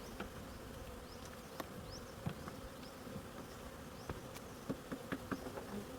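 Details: During honey harvesting, bees keep up an even droning buzz while light taps and clicks sound irregularly, several of them clustered near the end.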